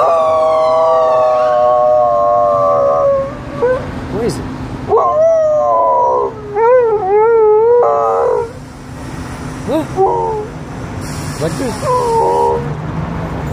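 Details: An Alaskan Malamute gives a long, sustained howl that bends up and down, then breaks into shorter yodelling phrases, howling back at a passing ambulance siren that wails faintly underneath.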